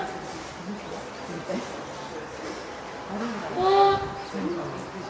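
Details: Hand-reared female spotted seal pup born 19 April, at Oga Aquarium, Japan, on 9 May 2017, calling loudly, perhaps from hunger, wanting onto land, or calling its keeper; one drawn-out, tonal, harmonic cry midway, with soft background chatter.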